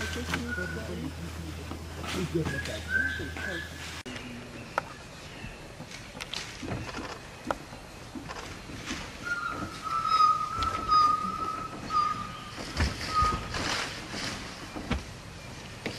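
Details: A pack of dholes, adults with roughly one-week-old pups, give thin, steady whistles, short ones early and longer level ones later, over murmuring background, in Tadoba-Andhari Tiger Reserve forest, Maharashtra, India, January 2021.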